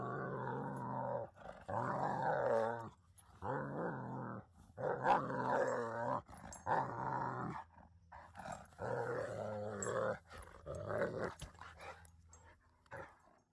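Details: Pet dog at home, one of a household with yellow Labradors, just after a visiting Great Pyrenees mix has left: deep, rumbling growls in bursts of one to two seconds with short pauses, repeated about eight times, no other clear sounds.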